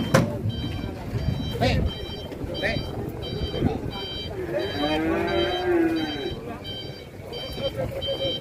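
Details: Cattle described as raging while ploughing, Indonesia; one long, low moo swells and falls in the middle, set against repeated music-like electronic tones, scattered thumps and a few voices.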